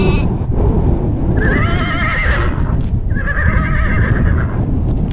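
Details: Horse neighing: two wavering, quavering whinnies, the first from about 1.4 to 2.6 seconds and the second from about 3.1 to 4.4 seconds, over a steady low rumbling background noise.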